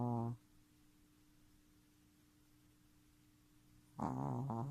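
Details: Snoring from Futa, a Shih Tzu puppy just three months old: one raspy, buzzing breath cuts off at the start, then quiet room hum, then another loud rattling snore begins near the end.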